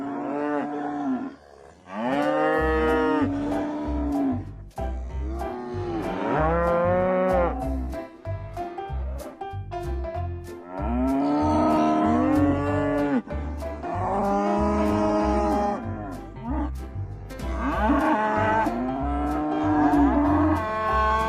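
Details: Several cattle moo in quick succession, six or seven drawn-out, rich bellows that rise and fall in pitch and sometimes overlap, over continuous background music with a thumping low beat.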